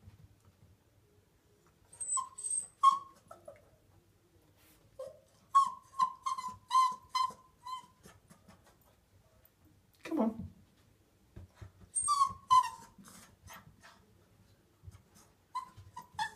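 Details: Poppy, a Miniature Poodle puppy, whines indoors while learning to go downstairs after false starts. Thin, high whimpers come in clusters of short, steady notes, with several bursts of five or six whines, a brief low sound midway, and quiet gaps between.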